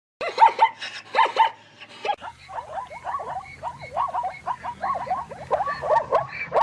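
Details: Zebra whinny recorded in a natural environment: a few loud harmonic yelps open, then after a brief pause comes a fast run of short rising-falling barking notes, repeated several times a second, with a low hum underneath.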